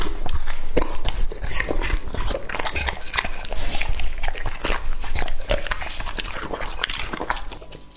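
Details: Young English-type Labrador Retriever, two and a half years old, chewing raw meat up close: fast, uneven wet crunches and slurping smacks, several per second, fading slightly toward the end.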